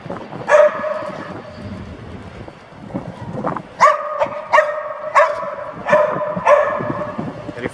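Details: Series of sharp, ringing barks, one early then six or seven in a run roughly every 0.7 seconds, with a trainer's voice between; AmStaff female Venus and Staffordshire Bull Terrier male Zeus training in Genoa.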